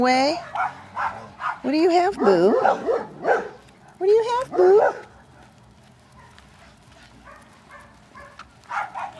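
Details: Puppies from a Romeo x Blue litter, four remaining (three females, one male), playing outside in the afternoon; short high yelps with bending pitch come in bursts through the first five seconds, mixed with a woman's talking, then quieter rustling.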